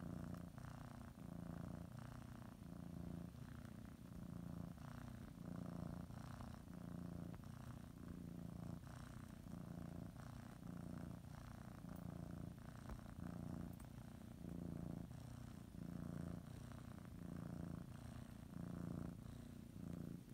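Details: Domestic cat purring steadily indoors while kneading and biting a blanket before a morning nap; low, rumbling continuous purr with soft rhythmic swells as it breathes in and out, about one cycle every second or so.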